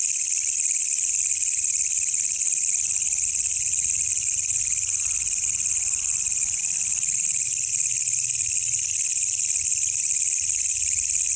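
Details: Wild katydid (walang kecek) calling at night, found by chance during a night outing; a loud, continuous high-pitched shrill buzz, steady throughout with a fainter lower band, no other sounds.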